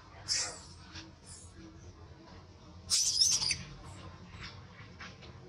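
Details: In a tantrum after rough handling by its mother, a baby monkey lets out short, shrill, rasping screeches, one brief cry early and a louder, longer burst midway, against low background noise.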